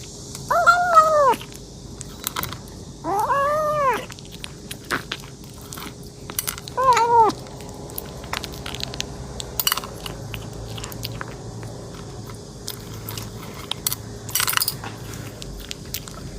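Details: Hungry kitten meows as it eats: three arched, harmonic meows in the first seven seconds, then chewing and soft clicks with occasional sharp taps in an indoor room.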